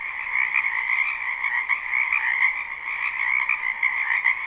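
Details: Spring wetland frog chorus recorded live behind a home: unbroken overlapping croaks form a buzzing, trilled wall of sound in two pitch layers, with small surges in loudness throughout.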